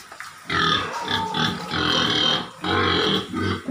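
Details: Landrace pig giving harsh, broadband squealing grunts in long bursts of about a second each, separated by short pauses, with a raspy, noisy tone.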